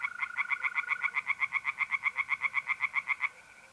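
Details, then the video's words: A single clear run of about twenty quick, rasping croaks from a tree frog at a pond on an April night in North-East Italy, ending abruptly, with a soft mole cricket trill behind. "relaxing singing tree frogs in pond"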